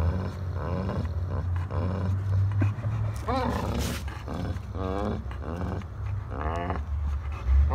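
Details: Jealous German Shepherd growling over a shared toy while facing a Pitbull in a tug of war; a long, low, continuous rumble swells and fades, with a person talking over it.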